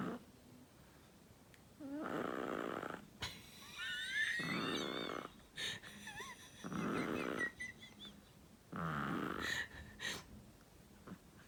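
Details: Snoring of a Chihuahua named Flexi while its owner laughs: four rough, rattling snore breaths spaced about two to three seconds apart, with laughing, squeaky vocal sounds over the middle.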